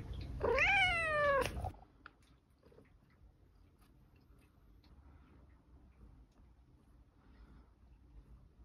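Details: Scottish Fold cat asking for food: one loud, drawn-out meow lasting about a second, rising slightly and then sliding down in pitch, followed by a quiet room with faint low background hum.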